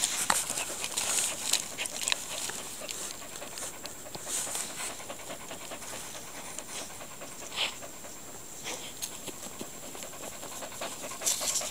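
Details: Quick, irregular breathy panting from Maeve, a young Standard Schnauzer puppy: airy, hissy puffs in fast succession with a few sharper, louder breaths scattered throughout.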